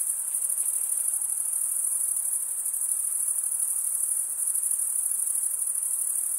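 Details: Steady high, piercing cricket chirping forms a seamless shimmering wall of sound with quick pulsing texture, nearly even in volume, a faint hiss below.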